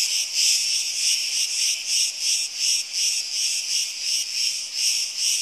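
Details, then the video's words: Cicadas calling in Crete during hot summer days: a loud, shrill buzzing drone that swells and fades in quick even pulses, roughly two or three each second, with no other sounds. "CICADAS IN CRETE - ΤΖΙΤΖΙΚΙΑ ΣΤΗΝ ΚΡΗΤΗ"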